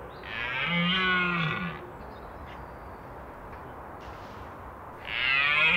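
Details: Wild red deer stag roaring during the autumn rut in the Scottish Highlands: a long, deep, hoarse bellow lasting over a second and falling slightly in pitch, then a quiet pause before a second roar begins.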